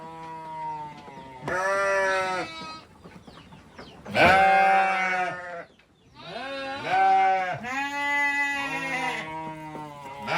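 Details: Farm goats, a kid with its mother and father, giving a series of four or five strained, vibrating bleats roughly every two seconds, each ending in a slight downward slide.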